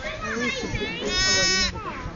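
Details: Newborn lamb, one of twins just born to a ewe, struggling to get on its feet; one loud, strongly harmonic bleat lasting about half a second in the middle, surrounded by people talking.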